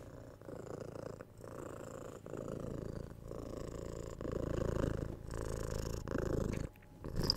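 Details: Domestic cat purring in a relaxing recording: a throaty low rumble rising and falling with each breath, steady bursts with short gaps, a faint higher click near the end.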